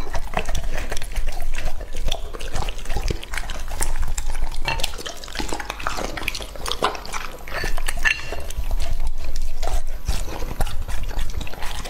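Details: Lucky, a male English Labrador Retriever aged two and a half, feeds on raw meat. Steady moist chewing and slurping clicks fill the stretch, swelling in loudness around nine to eleven seconds.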